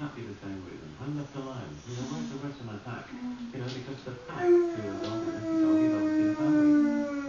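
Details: Boxer dog Vinnie gives a drawn-out, gently falling howl lasting about three seconds near the end, after a stretch of human chatter in a small room.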